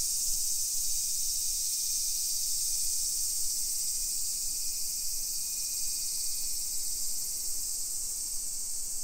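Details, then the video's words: Summer cicadas droning over residential streets in Nisshin, about 20 km from downtown Nagoya, Japan, 1 PM on 28 July 2021; a constant high sizzling chorus, with faint thin whistled tones and low traffic rumble underneath. "Summer Cicadas Sounds"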